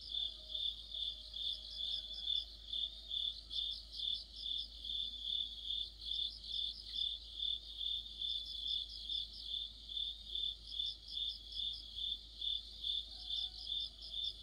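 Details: Crickets and fellow insects sing together in deep autumn near a streetlight, a continuous high trilling band swelling in rhythmic pulses roughly twice each second, several callers layered, with a faint lower whistle in the background.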